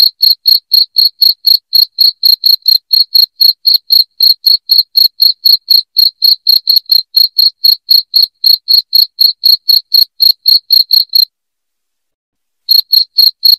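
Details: Cricket chirping intended to scare off rats: a long stretch of piercing, rhythmic chirps at about four per second, a silence of roughly a second and a half, then the chirping returns briefly.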